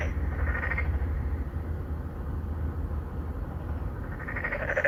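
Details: Narrow-mouthed frogs, three or four of them, court females from an apartment-complex pond in Songdo, Incheon, Korea. Phone recording on a Galaxy Note9. One pulsed croak opens and another closes, separated by a quiet gap filled with a dominant low rumbling hum.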